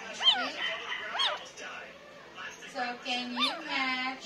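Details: Nine-day-old Pomeranian puppies crying: thin, high squeaky whimpers that rise and fall, in short bursts roughly every second, with a faint low steady hum underneath.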